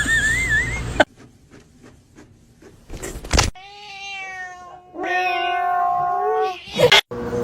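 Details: A domestic cat gives two sustained, even-pitched meowing cries back to back, steady and slightly nasal, between bursts of loud handling noise and a person's voice at the start.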